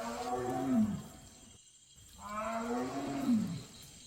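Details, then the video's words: Wild tiger roaring late at night in Huai Kha Khaeng forest, recorded in 2023 while driving deer after calling several times: two deep, moaning roars about two seconds apart, each swelling then falling, over faint insect hum. ">>นั่งฟังเสียงเสือครับผม"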